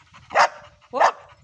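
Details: Labrador Retriever named Ruby, 'talking': two short, loud, harmonic yowl-like vocal bursts about half a second apart, each briefly rising then falling, over a quiet background.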